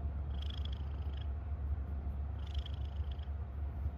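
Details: Pet cat purring contentedly, a steady low-pitched rumble, with two brief, faint high chirps over it.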